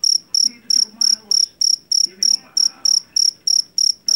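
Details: High, ringing pulse trains from a jangkrik Jawa, a cricket caught in a rice field and famed for its loudness, repeating regularly around three times per second above a quiet, faintly murmuring background.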